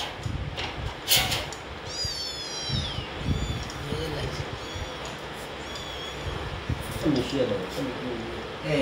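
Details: House cat indoors, being coaxed to eat quickly: one high, bright meow that slides downward for about a second, then a fainter, shorter meow, over a steady household hum and Bengali speech.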